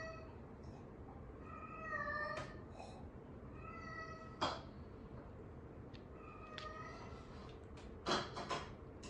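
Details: Sock-loving Norwegian Forest Cat at home meowing repeatedly, short tonal mews in a loose series every couple of seconds, mixed with soft knocks and clatter indoors.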